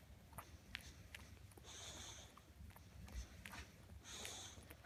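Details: An English Bulldog snorts and snuffles in short, wet bursts while chewing on his toy, over a low background rumble.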